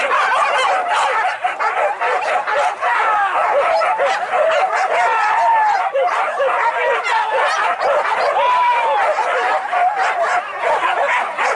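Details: Pack of trained hunting dogs tracking wild boar in Anyer, Banten, Indonesia, giving a continuous chorus of yelping barks, some drawn-out whining yips rising and falling, with steady crowd noise behind.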